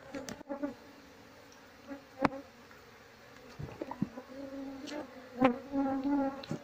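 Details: Honey bee colony being moved into a cardboard box, following its queen once she has been placed inside; a steady, low droning buzz with rich overtones swells and fades, broken by sharp knocks and rustles of handling.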